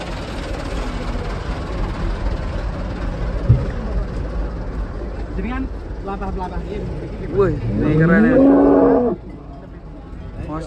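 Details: Giant cattle being unloaded from a truck for a contest in Boyolali, Indonesia; amid steady engine rumble and chatter, a loud, drawn-out, rising moo sounds near the end, after a few shorter, fainter lows.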